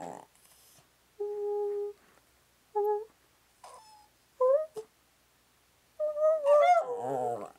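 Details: Pet dog in a back-and-forth exchange with its owner, wanting cake: short tonal hums and whines, some rising, separated by pauses, ending in a longer wavering howl-like cry.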